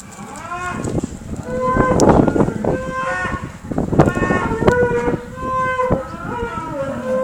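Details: Cattle beside a Rhodesian Ridgeback, with several overlapping moos, some level and some sliding downward, following one another closely over a noisy background.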